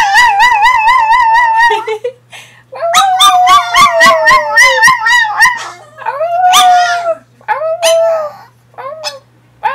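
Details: Pet Chihuahua howling along in a singing style, prompted by its owner: wavering, tremulous high howls, sliding and rising, in several long phrases separated by brief gaps, with short yips at the end.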